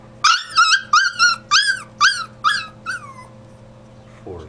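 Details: A dog whimpers insistently, with about eight rapid nasal squeals in a row, each bending downward and growing weaker toward the end. A brief human murmur follows after a pause.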